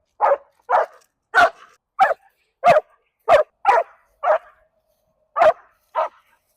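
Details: An extremely reactive leashed dog barks in sharp, loud bursts, reacting to another dog with leash reactivity.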